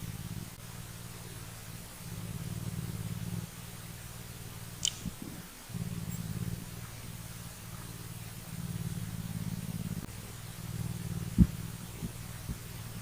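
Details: A mountain lion kitten purrs in a deep, steady rumble that pulses with each breath while the lions groom each other.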